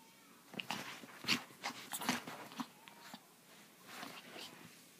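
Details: Pepito, a Chihuahua, indoors in a small room, giving a run of short, rough snorting and grunting bursts with a brief whimper, the noises coming in uneven clusters, while a human voice is heard alongside.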